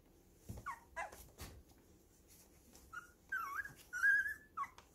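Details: Baby puppies playing roughly together indoors at home; high whining whimpers, bending up and down, come in quick bursts, the longest a drawn-out squeal near the end, with soft thumps and scuffles between.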